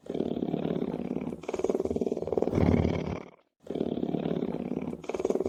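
A lion's deep, rumbling purr, a grainy throb of rapid pulses in long, steady phrases.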